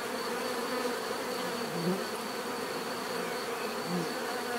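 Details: Bees hum steadily in a full, unbroken drone, with brief nearer fly-bys standing out now and then over the even background buzz.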